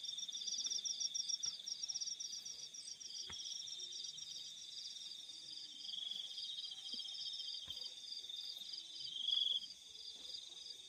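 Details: Night chorus of crickets in the fields, a continuous high-pitched trill overlaid with rapid pulsed chirps, brief louder burst near the end, otherwise calm rural background.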